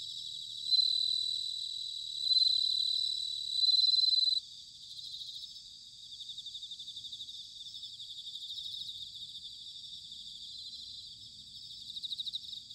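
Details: Bell cricket song in autumn, Sanuki, Chiba, Japan: three loud, clear, bell-like ringing notes in the first four seconds, then a softer, steady pulsing trill from more distant crickets continuing throughout.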